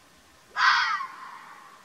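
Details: A wild mountain fox recorded in Oman gives a single harsh, hoarse scream that starts abruptly and trails off.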